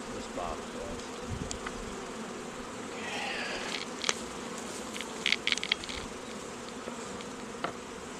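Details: Continuous hive buzz of honey bees at an apiary raising queens from queen cells; low steady hum, with brief higher rustling and clicking sounds in the middle.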